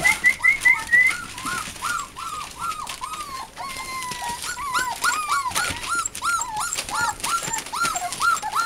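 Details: A litter of eight American Bulldog and Siberian Husky puppies whining indoors: a steady run of short, high, bent whimpers about two per second, some overlapping squeaks from several pups, light rustling behind.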